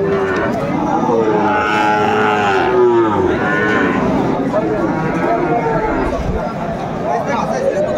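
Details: At a market in Comilla, Bangladesh, on 1 October 2024, Sahiwal cattle give a lowing moo that slides downward early on, followed by busy background chatter and voices bargaining over prices.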